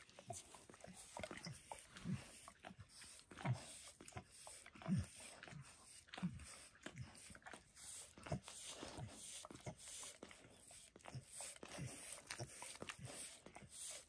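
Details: A pet dog giving itself a spontaneous bath indoors, licking its paws and a person's foot; soft, wet, irregular smacking licks about forty times a minute with low thumps in a small quiet room.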